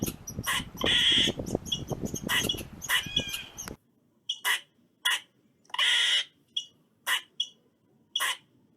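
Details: Eastern squirrel giving harsh, broadband barking calls in short bursts. The first half is thick with rustling noise under the calls, then single sharp barks follow, spaced about half a second to a second apart.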